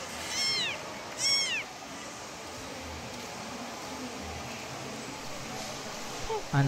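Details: Kitten calling its mother: two high, arching meows in quick succession, then quiet background hiss.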